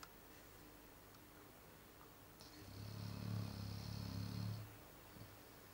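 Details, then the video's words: Chow Chow dog snoring in its sleep: one deep, low, rattling snore lasting about two seconds rises out of a quiet room and fades away. "Собака Чау-чау храпит"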